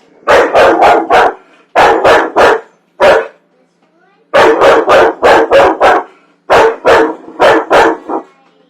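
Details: Domestic dog that hates popcorn barking in loud, rapid bursts of three to five sharp barks, separated by short silences, with one isolated bark midway and a few soft sounds in the gaps.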